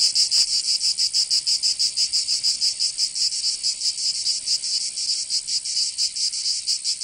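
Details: Summer chorus of cicadas in Provence, southern France, a shrill high-pitched drone beating in quick rhythmic pulses, slightly uneven in places, continuous for the whole stretch.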